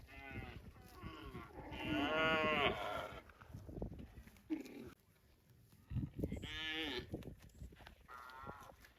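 A cow gives several loud, drawn-out moos with rich harmonic tones.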